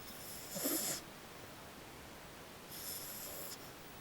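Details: French Bulldog named Maddie snoring at home; two breathy snores, a louder rasping one near the start and a softer hissing exhale later, separated by quiet room noise.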